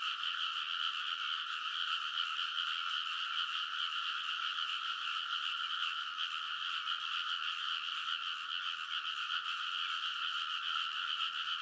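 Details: Midnight in early summer at a rice field in Kōnosu, Saitama Prefecture: a large frog chorus from the paddy bank, captured with a TASCAM Portacapture X8, forms a continuous pulsing drone of countless overlapping croaks with no pauses and no other sounds.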